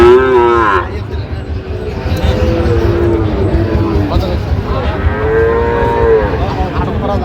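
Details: At a Sylhet market on 26 September 2025, Sahiwal bull calves give two loud moos: a short, bright call at the start, then a longer level moo after a pause, over a low background of voices.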